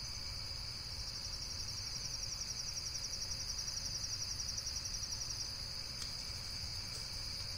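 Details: Insect calling in a shrill, rapidly pulsed trill that swells slightly midway, with a couple of faint clicks near the end and low rumble behind.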